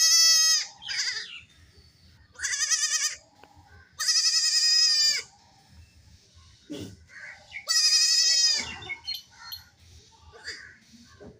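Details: Baby goats playing and jumping, with a lone kid crying without its mother; four loud, trembling, high bleats about a second long, separated by quieter gaps with faint rustling and short squeaks.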